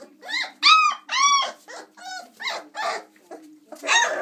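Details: Chocolate Labrador Retriever puppies, 26 days old, playing and climbing from their whelping box; a string of arched, harmonic whines and yelps, each about half a second, with short gaps between them.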